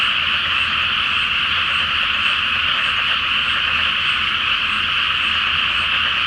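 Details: Many frogs call together from a water-filled rice field awaiting planting on a full-moon night, their rapid pulsing croaks merging into one continuous, even chorus with nothing else audible.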